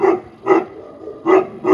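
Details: Four deep, full-throated barks from a Tibetan Mastiff at a Russian kennel in St Petersburg, paired quickly with a pause between the pairs.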